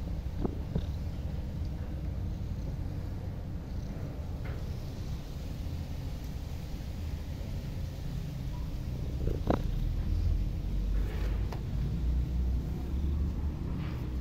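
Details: Kitten asking to play after dinner, a steady low purr rumbling throughout with no breaks, a few faint clicks and small knocks on top.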